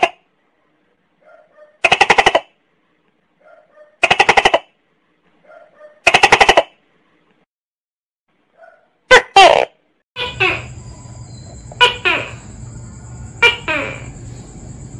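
A tokay gecko gives loud, harsh, croaking barks, each preceded by a soft note and repeated about every two seconds.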